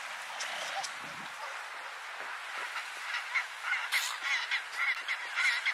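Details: Antarctic fur seal (Arctocephalus gazella) on Penguin Island, Antarctica, in February 2022, giving short, nasal, honking calls repeated in quick succession over a steady hiss.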